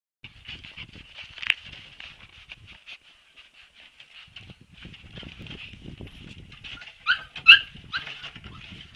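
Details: Siberian Husky puppies make soft, high, thin whimpering squeaks, a run of faint chirping cries that grows into a few louder yelps near the end, with light rustling and shuffling underneath.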